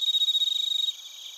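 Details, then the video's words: Crickets, including bell crickets, sing in Narita, Chiba Prefecture, Japan, captured with a TASCAM Portacapture X8. Loud, evenly pulsed high chirps run for almost a second, then cut to a softer, thinner background trill. "スズムシとコオロギの鳴き声 - Chirping of crickets"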